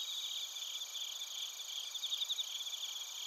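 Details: Bell crickets and crickets near Narita in Chiba Prefecture, Japan, taped on a TASCAM Portacapture X8; a soft, continuous shimmer of high pulsed chirps, several insects overlapping, with brief louder bursts of quick chirps toward the end.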